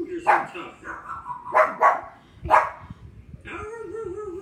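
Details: Thor the pug barks back at dogs on television: several abrupt, harsh barks, some in quick pairs, followed by a sustained wavering tonal whine near the end.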